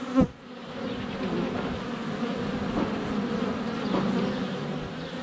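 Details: Honey bees buzzing around the hive entrance on a sunny February day, GoPro Hero 7 Black within a foot; a loud tap opens as a bee hits the camera, then an even, low droning hum continues throughout.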